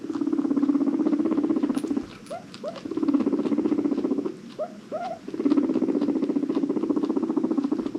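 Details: Pet guinea pig from a herd of five adopted from a Los Angeles rescue, giving a steady low pulsed rumbling purr, broken twice by short upward chirping squeaks before the purr resumes.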